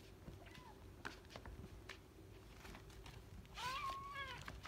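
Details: Indoors, a mother cat plays with her kitten; scattered taps and rustles lead to a single drawn-out meow near the end, steady then falling, with faint voices in the background.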